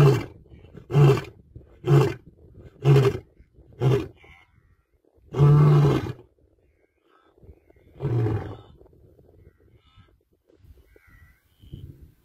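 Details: An African lion roars in a deep series. Five short, heavy grunts come about one per second, followed by a longer, louder moaning roar and a further trailing grunt, then quiet.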